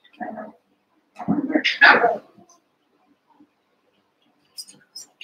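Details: Cavalier King Charles Spaniel puppies, Daisy's litter of six merged with Robin's two pups and playing together indoors, give two loud, rough yelping bursts, the second longer and rising in pitch, then fall quiet apart from a few faint high squeaks.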